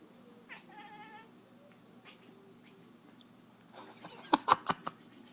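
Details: Domestic cat chasing a laser pointer and making strange noises: a short harmonic chirp with a few fainter chirrups, then a burst of loud sharp thumps and clicks from movement in quick succession.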